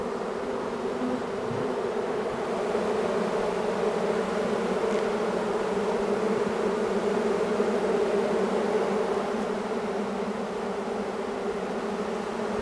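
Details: A large swarm of honey bees moving in, giving a continuous, even drone of many wings, swelling slightly louder in the middle and holding a steady low hum throughout with no other sounds.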